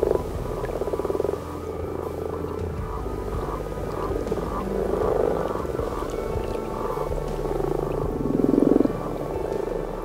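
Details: Common frog chorus at night in a Yorkshire garden pond in spring: males use their vocal sacs to attract females, producing soft, low, purring croaks that overlap in a steady, rolling murmur on a still night during spawning.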